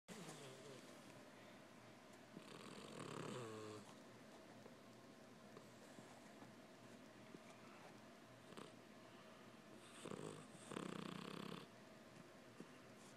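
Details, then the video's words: Sleeping pet cat named Winston snoring indoors, said to sound like a person; rough, raspy breaths in broad bursts around three and eleven seconds, quieter breathing between. "Cat snores like a person"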